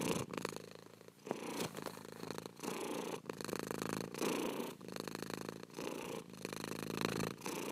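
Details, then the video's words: Continuous cat purr, a low vibrating rumble that pulses with each inhale and exhale, separated by short quiet gaps roughly every second. "24 HOURS OF PURRING CAT"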